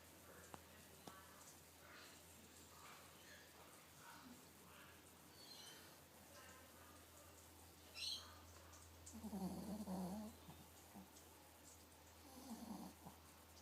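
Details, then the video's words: Pixie, a Miniature Pinscher nine weeks pregnant, sleeps quietly before giving two rough, low snores late on, each a short buzzy rasp with a softer wheeze after it. "Pixie snoring"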